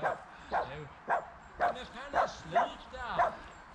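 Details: Two dogs at a playdate, the male Boxer Rex and his companion Tuva, near Landskrona, Sweden: seven short arched yelping barks, roughly twice a second, with human voices underneath.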